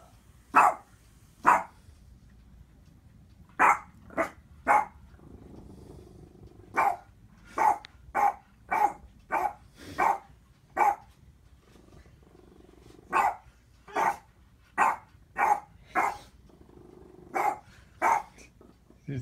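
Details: Boston Terrier barking at his own reflection: sharp, short barks in irregular bursts, about twenty in nineteen seconds, sometimes in quick runs of three or four, separated by pauses, over a quiet background.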